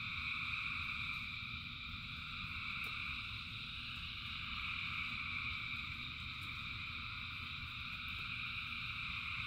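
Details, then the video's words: Frogs calling in rain, thousands together: a dense, unbroken chorus of high trilling bands layered at several pitches, with a steady low patter of rainfall beneath and a few sharp drips. "Frogs in Rain 2 Hours of Frogs, Thousands of Frogs Singing"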